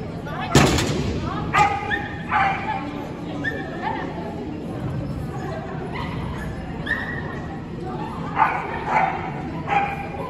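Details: Corgi barking during agility training in an indoor arena at a New Year event on 26 December 2021: short, sharp barks break out every second or so, partly buried under continuous talking and the murmur of a crowd.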